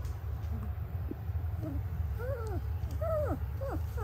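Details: Noble Shepherd puppies, a grey wolf and German Shepherd hybrid, raised under cross-species co-parenting. High arched whimpering whines come in a quick series, several rising then falling, over a steady low hum.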